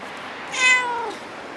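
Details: A cat at Dockyard Garden, recorded 12 November 2016 around 06:14, gives a single half-second meow that starts bright, then slides downward and fades, over a faint background hum.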